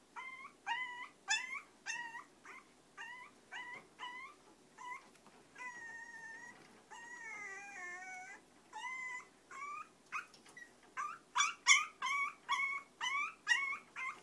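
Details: Choco and Maron, two long-coat chihuahuas at home, whimpering insistently: rapid high whines about three per second, a few longer wavering ones in the middle, then louder, sharper yelping whines near the end.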